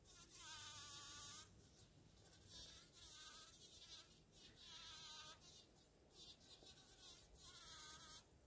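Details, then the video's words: Bumblebee working a flower by buzz pollination, sounding in repeated bursts of high, tonal buzzing lasting about a second each, separated by lower, quieter flight hum as she shifts position. "Bumble bee buzz pollination"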